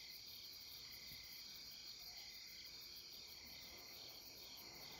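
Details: Late-September insect chorus on the Deuldeul riverbank at Nampyeong: continuous layered high-pitched trills and pulsed chirring with no pauses, over a soft low background rumble.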